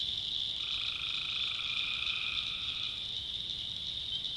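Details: At night in the backwoods of North Carolina, a tree frog gives a single even, buzzy trill of about two and a half seconds against a dense, shrill, unbroken swamp chorus.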